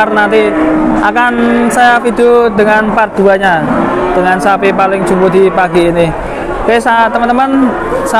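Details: Giant cattle at Jelok livestock market, Boyolali, Indonesia, amid a lively market scene. Several sustained bellowing moos overlap with shouting traders and the general hubbub of people.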